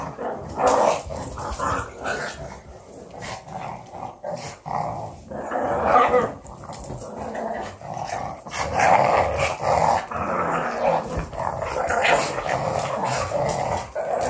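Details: A female pug growls in rough, rumbling bursts that rise and fall, with short snarling yips between, while playing with an Australian Shepherd.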